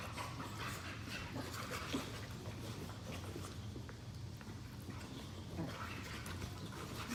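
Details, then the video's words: Two pet Boxers play-fighting lazily on a couch, tired after chasing each other; soft breathy panting and faint scuffling over a steady low hum, with a couple of brief louder snorts. "Boxer dogs brutal fight and tug of war challenge"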